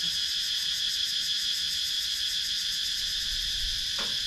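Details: Cicada chorus from wooded rural Sakon Nakhon, Thailand, filmed with a GoPro Hero 9: unbroken piercing high drone with quick rhythmic throbbing and one short knock near the end.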